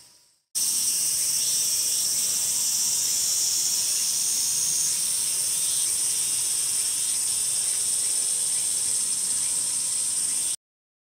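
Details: Loud, close Meimuna opalifera song within a full calling sequence: an intense high-pitched hissing buzz with quick repeated pulses and slight shifts in tone, starting abruptly and cutting off sharply after about ten seconds.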